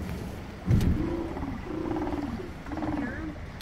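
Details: Sea lions in Resurrection Bay near Seward, Alaska, giving a series of hoarse, drawn-out harmonic barks, three in close succession, each lasting under a second, with a low thump near the start and faint water and wind noise.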